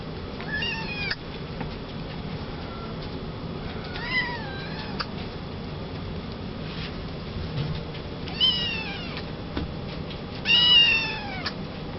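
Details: Young male Maine Coon kitten born 27 July 2011, kept at a pet shop in Yokosuka, Kanagawa, Japan, mews four times at irregular intervals, short rising-then-falling cries, the last loudest, over a low steady indoor hum.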